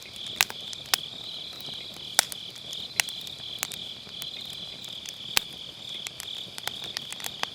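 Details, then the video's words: Grass insects on an autumn night beside a round fire pit, recorded with an MKE600 microphone using low-cut: a steady high, shrill trilling hum runs throughout, broken by sharp crackles and pops of burning firewood. "가을밤 풀벌레 소리"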